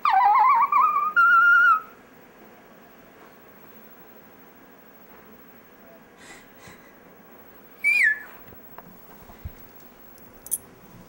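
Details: Pet Chihuahua named Dexter "singing" in a rising, whistled howl that climbs and holds for under two seconds, then long near-silence broken by one brief high yelp and faint scratching sounds.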